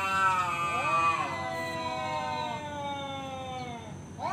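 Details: Male domestic cat challenging another to fight: one long, drawn-out harmonic yowl that rises early, then holds and slowly falls over about four seconds; a person speaks briefly nearby.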